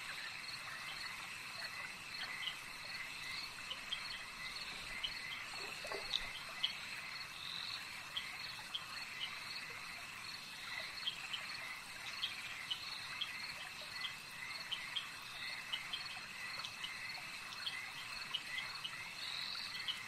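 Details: Frogs calling at a lake: a dense, unbroken chorus of high trilling notes with scattered short clicks and chirps overlapping throughout, plus a steady insect-like hum.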